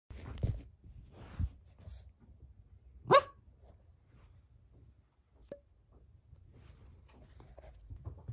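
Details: Red Toy Poodle, born June 2020, indoors at home, gives a single loud, sharp bark midway through; otherwise quiet with soft rustling and faint thumps.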